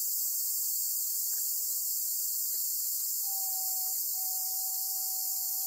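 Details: Black cicada held by a golden-web spider, Amami Oshima: a loud, continuous shrill buzz fills the whole stretch, while a long, level whistled note runs underneath in the second half.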